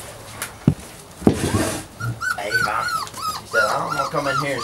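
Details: After two knocks, puppies break into rapid overlapping high whimpers and yelping squeals during play, arching up and down in pitch, with some low background rumble.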